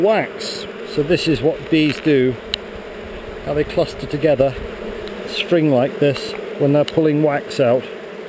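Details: Honey bees at a hive on heather, filmed on a GoPro during a hive inspection; close buzzing bursts rise and fall in pitch as bees fly past, over a steady low hum from the colony.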